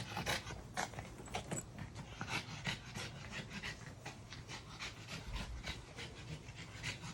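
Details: French Bulldog named Maui panting on a train ride, said to be getting tired; rapid, breathy huffs repeat steadily, with broadband bursts of noise throughout.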